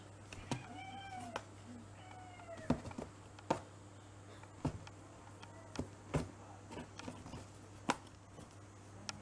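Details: Cat Kouhei, a pedigreed mixed-breed male about six years old, playing lazily with a cat teaser toy; two short rising-falling meows near the start, followed by repeated soft taps and knocks from the play over a steady low hum.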